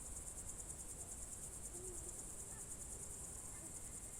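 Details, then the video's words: High, rapidly pulsing cricket trill on a June 2023 evening in the Novye Buregi tract, Novgorod Oblast, Russia, unbroken from start to finish, with a faint short low note midway. "Звуки природы , сверчки"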